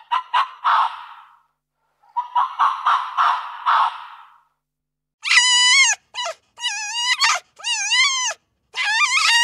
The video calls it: What does a Fox sound like? - Animal Sounds